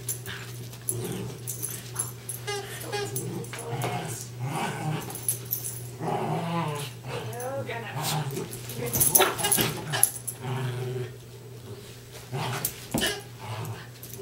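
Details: Two West Highland White Terriers playing tug of war together, giving rough growls and wavering whines amid tugging noises, with a person talking over them throughout.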